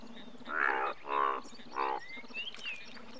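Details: Three drawn-out, harmonic croaks from an Indian bullfrog, the largest frog in India, each lasting under half a second, followed by a thin rising bird whistle over low background hum.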